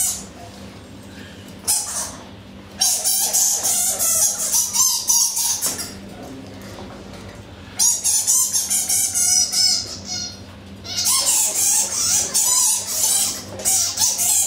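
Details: Boxing Egyptian fruit bats in a Hertfordshire wildlife park enclosure, daylight, February 2012: three long bouts of harsh, grating screeches in rapid pulses with faint squeaky tones, broken by brief pauses.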